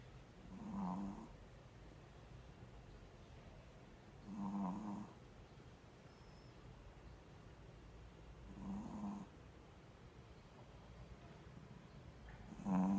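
A Shih Tzu snores in low, rumbling bursts roughly every four seconds.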